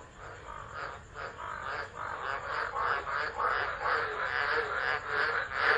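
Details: Frogs calling during a tropical storm at Driver, Northern Territory, Australia, 13 December 2013, recorded on a phone left unattended: a dense, rattling chorus of rapid pulsed croaks that swells and surges, with steady rain hiss beneath.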